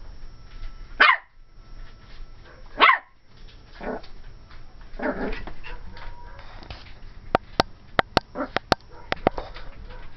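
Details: A female Pomeranian puppy, 12 weeks old and cream and white, gives two loud high barks two seconds apart, then softer yips, followed by a run of light clicking taps, as she reacts to a Dora the Explorer doll.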